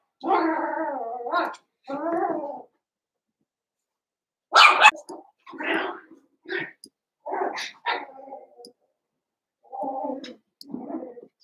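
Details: Indoors, eight Cavalier King Charles Spaniel puppies, Daisy's six joined by Robin's two, play together: drawn-out wavering whimpers open, then a sharp high yelp and a string of short grumbling yips and squeals.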